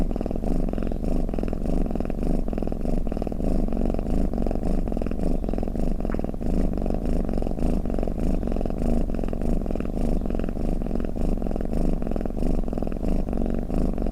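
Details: Domestic cat snoring and purring, offered as a lulling sound for cats to relax to: a steady low rumbling purr with fine rapid pulsing, rising and falling in slow waves of about one and a half per second, continuous throughout.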